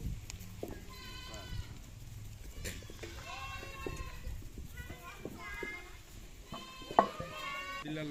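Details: Several goats on a farm bleat in turn, short quavering nasal cries repeated every second or two, mixed with people talking and occasional knocks.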